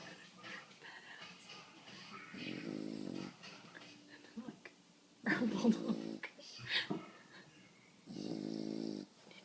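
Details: Female bulldog asleep indoors in a small room, snoring in three rasping, buzzy bursts about three seconds apart, each lasting roughly a second, with quiet human speech between them.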